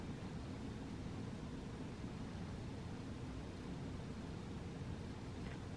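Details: Steady low broadband rumble like a vehicle or machinery hum throughout, with no animal calls.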